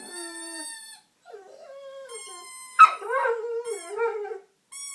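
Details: Honey, a dog singing as people play with a squeaker pulled from her toy, gives drawn-out wobbling howls and a sharp yip. Steady, high squeaker tones sound before and after her voice.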